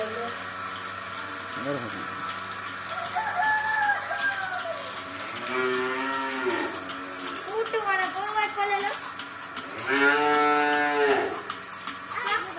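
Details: Dairy cows in India being milked by a fixed pipeline single bucket milking machine; several drawn-out, low harmonic moos rise and fall, two of them long and loud, over steady machine hiss and a pulsing mechanical rhythm.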